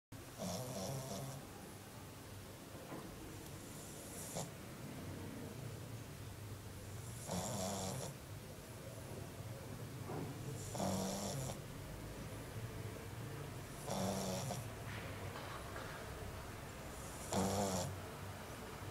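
A French bulldog snores in loud, rasping bursts roughly every three seconds.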